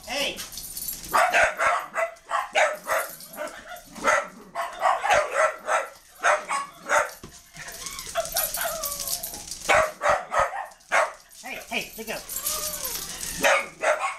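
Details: Several dogs attacking a puppy: a rapid run of harsh, broadband barks and snarling bursts, with higher whining yelps rising and falling near the end. Voices may be mixed in.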